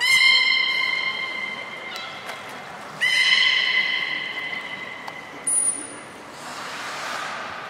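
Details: Captive belugas Gray, Nana and Niko at Port of Nagoya Public Aquarium, training after the 16:00 public session on January 1, 2019; steady harmonic whistles in two bursts, then a brief very high thin tone and a fading hiss.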